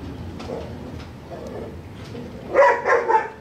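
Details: Neighbouring dog gives three quick barks near the end, after a stretch of faint low rumble and scattered soft sounds.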